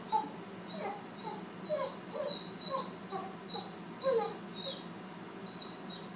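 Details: A Great Dane puppy of around four months, newly introduced to an older dog, whimpers in soft, thin, whistled squeaks, short and wavering, repeated roughly every second, over a steady low background hum.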